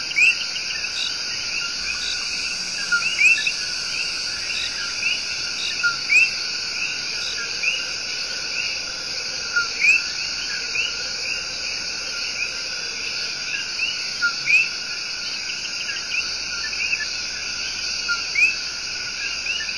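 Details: Tiny but loud Coqui tree frogs singing their love song in Puerto Rico's El Yunque Rainforest: repeated two-note co-qui calls, a low note then a rising higher one, scattered over a dense, steady high-pitched insect chorus.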